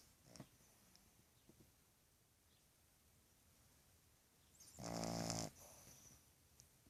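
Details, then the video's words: A sleeping Boston terrier puppy of two and a half months gives one loud, buzzy snore lasting about half a second after several seconds of soft, quiet breathing. "Boston terrier puppy snoring"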